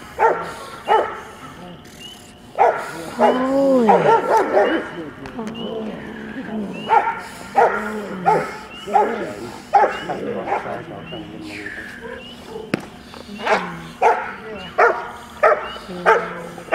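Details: Barking from a young Rottweiler, 10.5 months old, at a bitework session: rapid repeated barks mixed with a drawn-out, wavering vocal stretch early on, then another steady series of sharp barks. Human voices are heard throughout.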